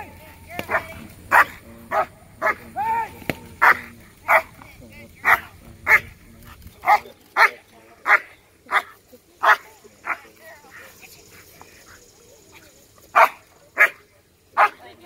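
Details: Fifteen-month-old black German Shepherd in a P1 protection routine at a protection dog competition, barking steadily in short sharp bursts about every half to one second, with a low background hum early and a brief pause near the end.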